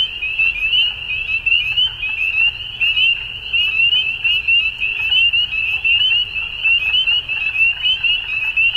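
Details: Ontario, Canada, spring evening at dusk: a frog chorus of countless brief, high-pitched upswept peeps, roughly eighty loudness pulses a minute, continuous and dense over faint low-frequency noise.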